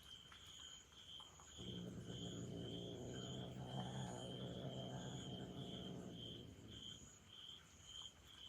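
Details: Angry kitten, left out of a trial and furious at its beloved mother cat after a week-long trial was cut short to two days: a low, steady, rumbling growl lasting about five seconds, with crickets trilling continuously in the background.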